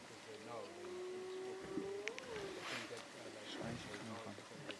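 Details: A spotted hyena in Timbavati, near Kruger, in late afternoon near lions on a zebra kill, gives a drawn-out, slightly rising whoop, a long-range contact call, possibly calling for backup, over a person talking.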